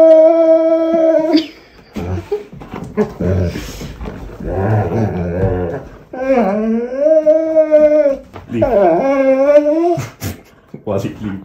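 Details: A German Shorthaired Pointer indoors whines and complains during tug play, wanting the toy pulled rather than held too long. Several long, high whines swoop down and up, with short muffled grumbles and a few knocks between bouts.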